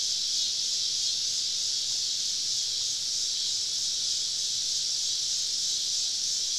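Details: Cicadas all around a camp deep in the woods on a summer evening: a constant, high, hiss-like buzzing chorus holding steady in level with no breaks.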